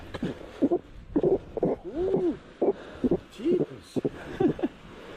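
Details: A rescued female seal, upset and angry while being freed, gives short, arching, groaning calls in quick bursts, sounding agitated.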